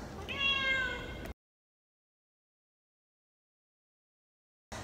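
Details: Mother domestic cat at a cat meat shop in Vietnam, meowing loudly while trying to make friends with a person: one clear, drawn-out, slightly falling harmonic meow lasting about a second, followed by silence.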